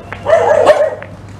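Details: Aggressive dog in Indonesia barking at people walking past on a morning outing; a single rough, drawn-out bark over a constant low engine-like hum.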